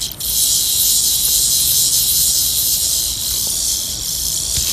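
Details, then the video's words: Rattlesnake tarantula from Queensland, Australia, making its warning sound by rubbing its fangs together before attacking: a loud, steady, high-pitched hiss that holds almost unbroken, with a slight dip near the start. "Terrifying rattlesnake tarantula makes creepy sounds"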